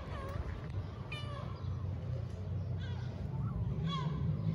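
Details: Stray mother cat and her kittens in Istanbul while she licks and cleans them; a few high, arching mews spaced over several seconds above a low background rumble, with soft human voices.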